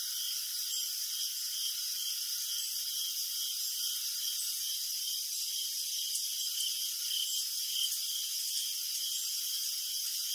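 A chorus of crickets fills the night with high, ringing chirps, pulsing rapidly and evenly. Layered trills at different pitches blend into a continuous shimmering drone with no other sounds.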